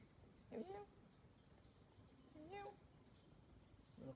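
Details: Kitten meowing, one of three sisters, giving short rising-then-falling mews about every two seconds, three calls in all, over quiet rural background with faint voices.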